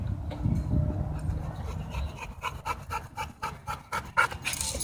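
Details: Playing dogs at a dog park give a rapid, rasping run of pulsed growls and pants, about four per second, low and gravelly.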